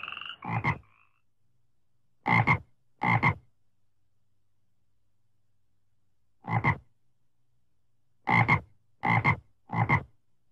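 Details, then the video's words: Frog calling in a rice field. It gives short, harsh, rasping croaks, single or in pairs and threes, separated by silent gaps of up to three seconds. A brief tonal call is heard at the very start. "suara katak di sawah merdu"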